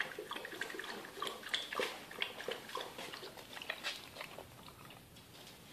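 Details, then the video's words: Two dogs play-wrestling indoors: Mochi, a seven-month-old puppy, jumping all over her 1.5-year-old big brother Churro. Rapid, irregular bursts of harsh, growly play noises mix with scuffling and thumps in a small room. "Dogs put on epic wrestling match"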